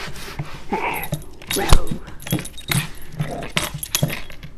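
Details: Puppy roughhousing at home, producing short snarling growls and whines between sharp knocks and jangling sounds, with some human voice mixed in.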